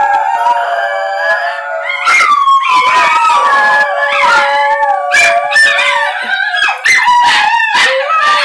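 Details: Three pet Basenjis howling together, a chorus they usually start when a plane flies over or when people howl to them; several overlapping wavering, sliding tones around mid pitch, with sharp yips and broken yodel-like breaks throughout, fairly loud and continuous.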